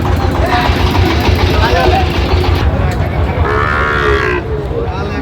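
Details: Sahiwal bull calves at a busy cattle market in Sylhet, Bangladesh, on 26 September 2025, as a farmer buys calves. Low, drawn-out moos sound amid loud human bargaining and engine noise.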